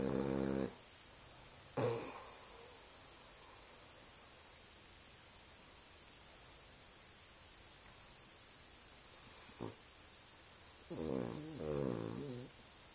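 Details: A Boston Terrier snores with one eye open, giving rough, throaty bursts with long quiet gaps between breaths.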